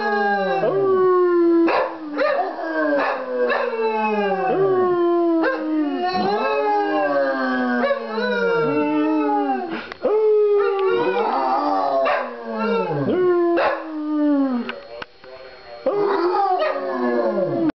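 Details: Pair of pet dogs in a joint howling session: continuous overlapping howls, each a downward-sliding wail, one voice higher and one lower, with fresh howls starting every second or two throughout.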